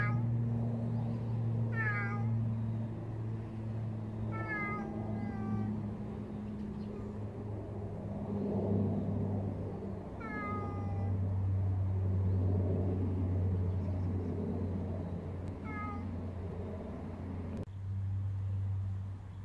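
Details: Street cat meowing four times at uneven intervals, each call brief and falling slightly, against a rumbling low background like passing traffic.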